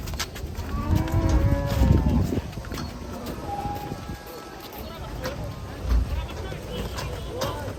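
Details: Raging cattle coming down from a truck bellow a deep, drawn-out moo with stacked overtones over the first two and a half seconds, followed by quieter lowing amid background commotion and handling noise.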